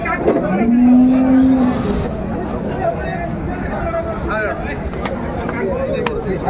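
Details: Sahiwal bull at the Ambari cattle market in Dinajpur, Bangladesh, on 13 December 2024, giving one steady, low, drawn-out moo of about a second. Bargaining voices, crowd chatter and market noise follow.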